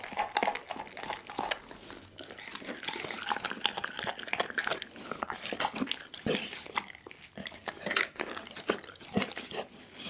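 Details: Daggy, a pit bull, eats a whole raw chicken indoors, filmed on an Insta360 ONE R: dense wet crunching and bone-snapping bites in quick, irregular bursts throughout a small room.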